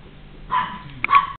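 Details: A Maltese dog at a pet shop gives two short, high-pitched yips in quick succession.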